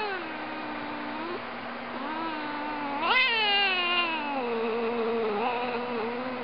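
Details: Cat growling: one long, sustained, wavering moan, low and tonal throughout, swelling into a louder, sharply rising cry about halfway through, then sinking back to a steady, drawn-out lower moan with no other clear sounds.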